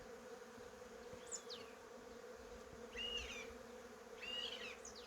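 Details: Honey bees among cherry blossoms make a steady, even buzzing hum throughout, while birds add short bright chirps and twittering notes overhead.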